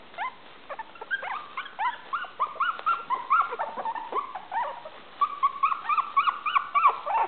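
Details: Five Maltese puppies, 23 days old, playing together indoors; a dense overlapping chorus of high, squeaky whimpers and yips with bent, falling pitch, several voices at once, coming in rapid irregular bursts.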